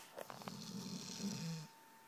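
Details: Sleeping dog giving one rough, rattling snore lasting about a second and a half, with a low growly undertone and airy hiss above; a steady faint electrical hum runs underneath.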